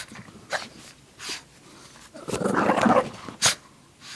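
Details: Playful Shih Tzu tugging and shaking a pink blanket, giving a noisy, gritty growl of about a second amid sniffs, snorts and rustles, while a woman calls to her and tells her to sit up.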